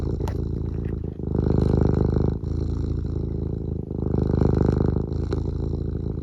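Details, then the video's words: Continuous low purring from Eric the cat, indoors, a throbbing rumble with rapid regular pulses, rising and falling in long waves of inhale and exhale with brief dips every one to two seconds. "Eric just has a purr and a blep for you today"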